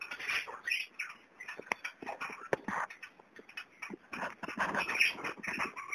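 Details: Young kakarikis giving a busy mix of short squeaky chirps, chatter and soft scratchy calls, with some knocking and rustling sounds.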